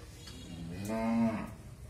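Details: Friesian dairy cow, one of a pair of pregnant cows raised in a family setting, gives a single moo of about half a second, held and steady in pitch and then fading, over quiet low background noise.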